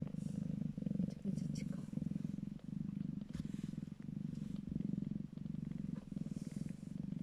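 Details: Calico kittens purring in a good mood while nursing from their mother; steady, low rumbling purr with a fast throbbing pulse, continuing without a break throughout.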